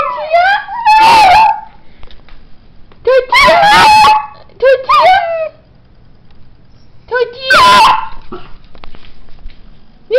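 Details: Indoors, a pet dog answers its owner's word "tortilla" with rising, quavering howls. Three rounds of howling, each following the person's loud voice, are separated by a quiet stretch.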